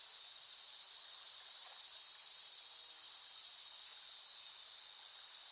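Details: Singing cicadas: a piercing, high buzz with rapid rhythmic pulsing that fades a little in the second half.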